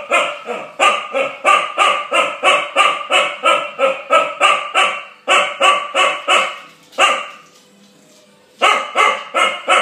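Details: An 8-month-old Chow Chow barks at a bulldog over his bone in a rapid, steady series, with a brief pause before the barking resumes.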